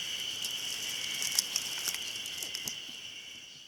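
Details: Ezo-haruzemi cicada singing at Hayama, Nagai City, on 24 May 2015: an unbroken, steady high-pitched drone with a fainter higher overtone, sprinkled with scattered sharp clicks, fading slightly toward the end.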